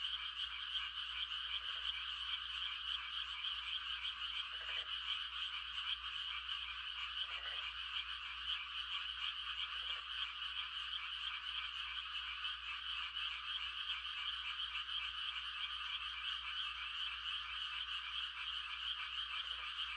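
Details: Countryside frogs at night, calling to mate during rice-planting season. A thick, ceaseless high trilling chorus continues throughout, with short low croaks every two to three seconds.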